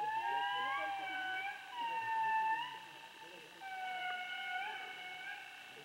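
Indri calling with drawn-out, mournful wails that rise, hold and slide downward, much like a distant siren. The sustained notes overlap and fade in and out across the phrase.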